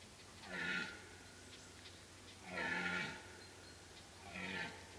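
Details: Deer roaring during the rut in Kopački rit Nature Park, Croatia, a strict reserve with no hunting, in late summer: three deep, harmonic roars about two seconds apart, each swelling then falling away, over a low steady background hum.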